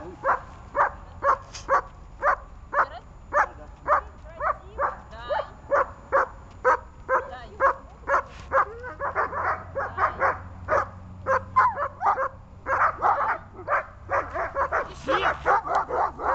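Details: Dog barking on command during training: short sharp barks repeated about twice a second, steady at first then quicker and more ragged toward the end, with faint voices in the background.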